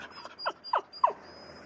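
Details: Chihuahua-terrier mix dog begging for a walk: three short, whiny squeaks, each sliding downward, spaced about a third of a second apart, over faint steady high-pitched electronic tones.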